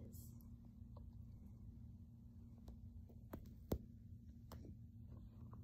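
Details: Silver grey cat Baji purrs contentedly while making biscuits on a blanket in his owner's lap, leaning in for kisses; continuous deep pulsing purr, broken by a few sharp clicks and a brief louder tap near the middle.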